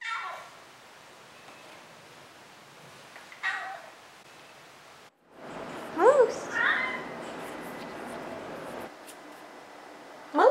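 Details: A Maine Coon cat (Felis catus) gives short, rising-falling meows with a chirpy, trilling edge; the recording compares the same cat's meows as a kitten and as an adult.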